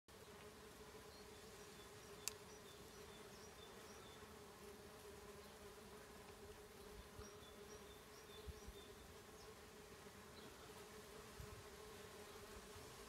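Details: A bumblebee hums in a steady, low drone that barely wavers, recorded 17 March 2019.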